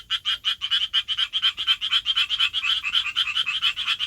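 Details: Japanese tree frog calling for a mate in a city, its vocal sac swelling like a balloon and shrinking with each call; rapid, bright, rasping notes repeated about two per second in a steady run over four seconds.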